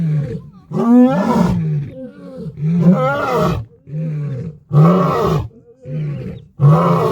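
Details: Lion roar meant to communicate location and intimidate rival prides: rhythmic deep grunting roars, harsh and loud at intervals of about two seconds, with softer grunts between.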